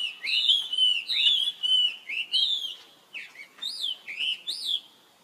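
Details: A young male monkey gives high, whistled cries that rise and fall, calling for help as his sister runs off very fast.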